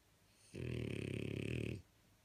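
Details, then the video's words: Napping in bed, a blue French Bulldog gives a single drawn-out snore lasting over a second, a low vibrating rattle with a faint higher whistle above it, in a quiet indoor room. "A french bulldog snoring in the bed"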